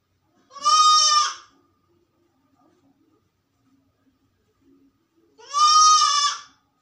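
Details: A goat, described as sick and alone in a room, gives two loud, drawn-out bleats, each lasting about a second, separated by quiet.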